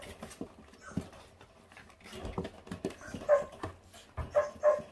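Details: Five 28-day-old feral puppies eating raw meat down to the bone, staying on guard; several short, high-pitched yips cluster near the end amid chewing and scuffling noises.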